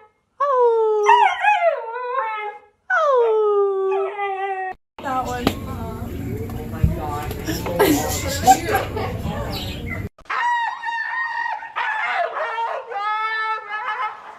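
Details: Golden Retriever puppies give two sliding howls. A noisy stretch with voices follows, then a series of high, wavering whines and short yips.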